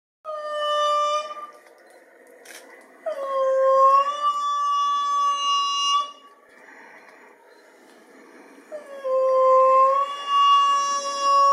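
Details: Indri song of long, wailing, harmonic notes that swell upward and then hold steady; loud enough to carry kilometres, given especially in the morning after waking to mark territory.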